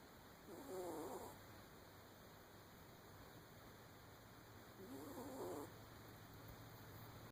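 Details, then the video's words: A puppy asleep gives two drawn-out, husky snores about four seconds apart, each a rough breath sound rising and fading, over a low constant background hum. "the snoring puppy"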